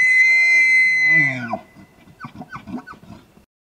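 A bull elk bugles: a long, high whistle that slides downward, then a run of throaty chuckles.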